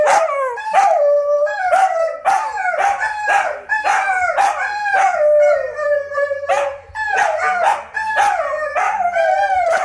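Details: Lupo and Kano, two wolfdogs, in a midnight chorus of dense, overlapping howls and yips. Short rising-then-falling cries follow each other rapidly, and a long sustained howl runs through the middle.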